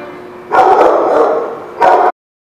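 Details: Dog barking: one longer harsh bark lasting about a second, then a short sharp second bark before an abrupt cut to silence.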